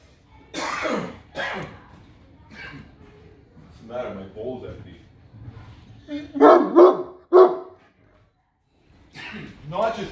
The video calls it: Great Dane Barks Slow Mo - Fan Requested!